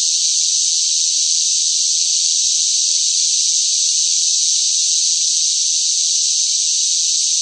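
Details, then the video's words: Noisy cicada chorus in sweltering summer heat, an even, continuous shrill hiss-like buzz with no pauses or changes, and nothing else audible. "뜨거운 무더위 속 시끄러운 매미 울음 소리"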